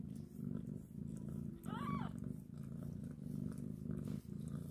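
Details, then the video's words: Steady low purring from a happy kitten being groomed by its mother cat, broken midway by a single short, arched meow. "Kitten grooming meowing and happy with mom cat"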